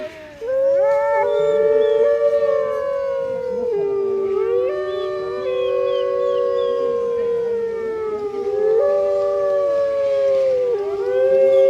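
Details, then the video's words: Grey wolves at Artis Zoo howling in chorus on 10 November 2013, captive pack, location calls that also warn rival packs; long smooth overlapping howls, voices holding steady notes then gliding down and jumping back up, recorded on a phone. "Howling wolves at Artis Zoo"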